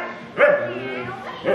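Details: A talkative female Siberian Husky, being charged at and played with by a baby, gives two short, bright, yodelling talking calls that swoop up and down in pitch, with human voices murmuring between calls.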